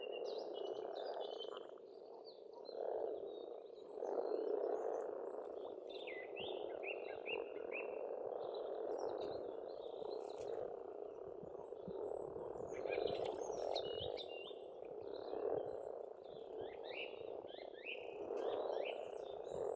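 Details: A steady chorus of frogs from a farmstead pond in Estonia in spring, rolling croaks layered into a thick hum, while songbirds add bursts of quick chirping trills, especially around thirteen seconds.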